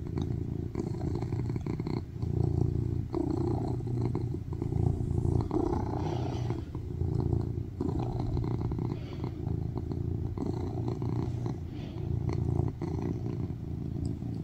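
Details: A cuddling male tuxedo cat purrs loudly on a lap, seeking attention, producing a long, steady low-pitched rumble that throbs in regular waves, with occasional soft rustling movement.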